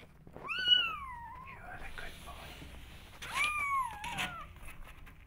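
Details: Kittens meowing to be let outside to explore the world: two long drawn-out meows, the first sliding downward for about a second, the second arching and falling, with faint voices and clatter in the room.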